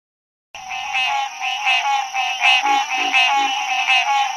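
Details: Frog giving a steady series of harmonic, bleating croaks, roughly one every three-quarters of a second, with a constant high whine in the background.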